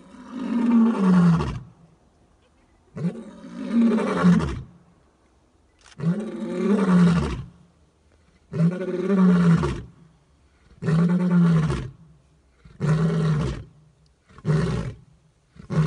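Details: A full-maned lion about 30 metres away gives a series of deep, powerful, intensely loud roars, each lasting about a second and a half.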